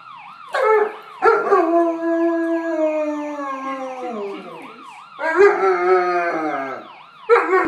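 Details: German Shepherd dog howling at a passing siren: long, loud, wavering howls that start high and slide gradually downward, three bouts separated by short breaths, over a steadily wailing, looping siren.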